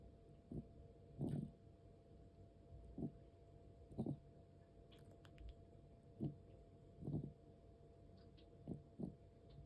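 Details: Elderly pet cat, aged 13 years and 4 months, with feline asthma: steady series of short, gravelly, wheezing breath sounds about every one to two seconds, some louder and longer, against faint indoor background hum.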